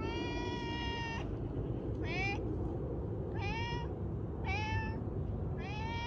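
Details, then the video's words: Pet cat giving five loud meows about one second apart, each with a short rise then a level or slightly dipping tone, over constant low background hum. "loud cat sounds"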